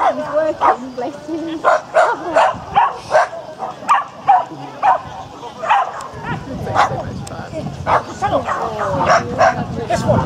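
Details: At Spitz in the Park, held between Tewkesbury and Evesham on 18–19 July 2015, a Japanese Spitz at agility gives short yappy barks in irregular bursts, mixed with voices from the crowd.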